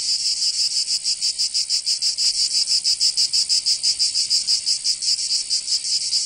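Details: Cicada song on a summer day in Provence, southern France: a bright, sizzling high-pitched buzz pulsing rhythmically, slightly swelling in loudness midway, with no other sounds present.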